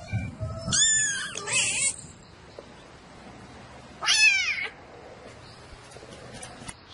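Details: Domestic cat calling for a mate at night: three harmonic, wavering meows, two close together near the start and a third, rising then falling, a few seconds later, with a soft low hum between calls.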